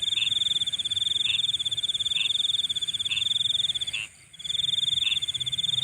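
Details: Night insect sound: an almost unbroken high, rapidly pulsed trill with a single short pause near four seconds, overlaid by lower chirps recurring about once a second.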